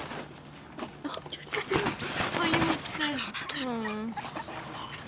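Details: Five-week-old French Bulldog puppies playing outside; short high whines and yelps that bend up and down, clustered in the second half, over rustling scuffles and a human voice calling to them.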